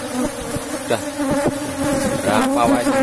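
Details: Buzzing from a strong Asian honey bee colony in a box hive at harvest time, a low steady hum with overtones, punctuated by rapid dull thumps and taps from handling.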